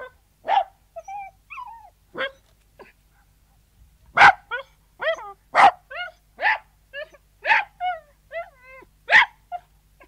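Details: Sealyham Terrier indoors, yelping and barking: sharp single barks alternate with whiny, pitch-bending yelps at irregular intervals, roughly a dozen outbursts in ten seconds, with quiet gaps between and no other sounds.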